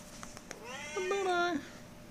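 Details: Pet cat playing with a fox tail utters one drawn-out meow that rises, then holds a level tone before dropping away at the end; a person's voice is faintly heard nearby.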